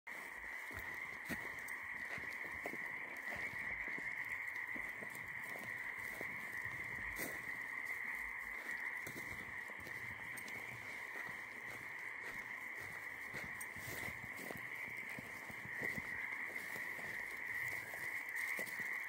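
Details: Frogs calling at night during a night walk: a dense, unbroken chorus of steady trilling croaks holding level throughout, with scattered faint clicks and crackles, possibly footsteps, underneath.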